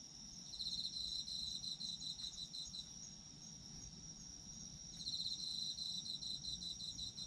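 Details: Chorus of autumn insects, sleep ambience: continuous high whine under bursts of rapid pulsed chirps, one burst early, a quieter gap, then a second burst from about five seconds on.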